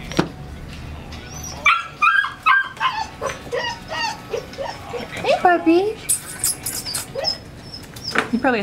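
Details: Old English Sheepdog named Wallace, a pet telling his owners what is on his mind, perhaps wanting to go out for a pee; varied whining, yipping and short barks with rising and falling tones, mixed with people talking.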